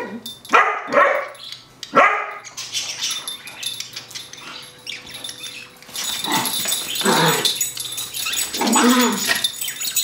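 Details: Five-month-old standard poodle puppy Isabella out on a walk, playing with her toy poodle buddy Chase: two sharp, short barks near the start, then quieter rustling and a long stretch of dense, hissy background noise.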